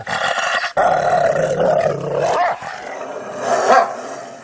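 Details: Rottweiler dog giving a continuous harmonic growl that swells and fades, with a brief break near the start and a sharper rising snarl toward the end.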